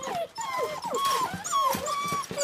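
A puppy whimpers in a run of thin, high, wavering whines that slide up and down.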